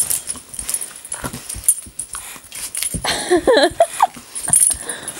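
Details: Curious female Doberman puppy, wanting to play with a hairbrush but afraid of its bristly texture, gives a brief cluster of high, wavering whimpers and yips midway, amid rustling and handling noises.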